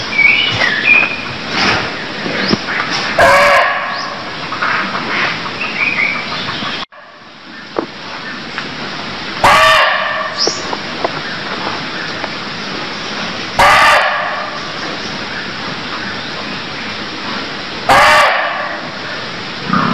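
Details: Barking deer from Cambodia, repeated rough barks roughly every four seconds, four loud bursts in total, with scattered faint clicks and a brief drop in background hiss partway through.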